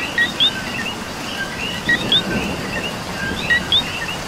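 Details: Coqui frog in rain in Puerto Rico giving its two-note co-qui call, a short lower note and then a higher rising whistle, three times at about 1.6-second intervals over a soft chorus of other frogs and steady rain hiss.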